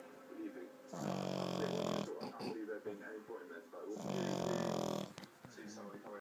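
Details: An 11-week-old male French Bulldog puppy snores in two long, buzzy, rattling breaths about three seconds apart.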